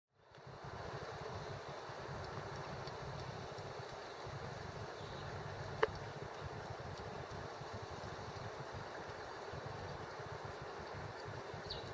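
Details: Hot, sunny outdoor scene near a six-year-old serval, with no animal voice heard, only steady broadband wind-like rumble and one sharp click midway.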